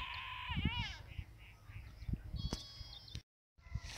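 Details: Grazing goat lets out one short, shaky bleat near the start, followed by a thin higher tone and soft thuds of movement, with a voice speaking briefly afterward.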